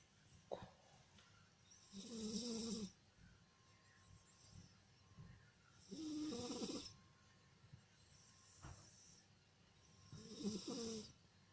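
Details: Sphynx cat snoring: three long, raspy snores, each lasting about a second, roughly every four seconds. Each has a low buzzing hum under a breathy hiss, with quiet pauses between them.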